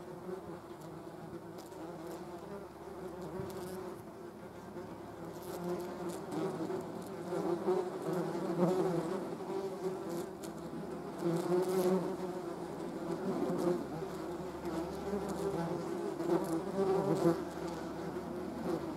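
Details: German wasps (Vespula germanica) near a hornet, their buzzing a sustained low drone with several layered tones, growing louder midway and pulsing unevenly as insects come and go, with scattered soft ticks and taps.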